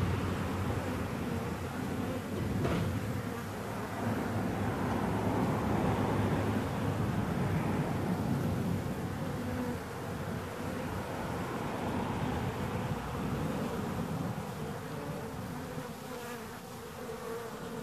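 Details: Bees buzzing in a thick, unbroken low drone that holds steady throughout, with a brief sharp click near the start and the hum swelling slightly midway.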